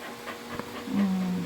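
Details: Pet dog throwing a tantrum while being scolded in Tagalog to bring something back; a low, steady, drawn-out whine or grumble swells in the second half, after a few faint soft sounds, with a human voice nearby.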